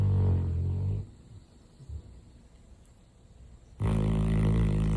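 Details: Sleeping Retriever dog snores with a heavy, low rumbling breath, falls quiet for nearly three seconds, then begins another loud, deep, grating snore.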